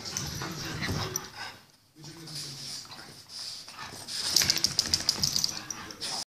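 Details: French Bulldog, described as crazy, making a brief low whine and grunting, snuffling noises, with human speech in the background.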